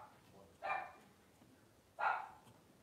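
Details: Twelve-day-old Blenheim Cavalier King Charles Spaniel puppy, one of a litter of five, letting out two short, bright squeals about a second and a half apart over a quiet background.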